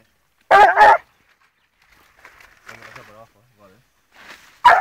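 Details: Gora, a 14-month-old blue griffon bitch on the trail of wild boar: two loud, sharp barks in quick succession, a pause filled with quiet human speech outdoors, then another bark at the end.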